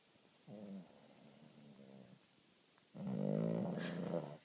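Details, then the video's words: Female Boston Terrier asleep, with a short, quieter rumbling snore, then a longer and much louder rattling snore on the next breath. "Boston Terrier, snoring like a freight train"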